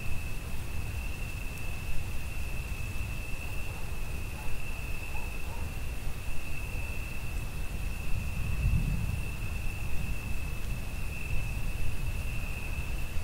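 A cricket keeps up a steady, high-pitched trill under heavy rain and a roll of thunder.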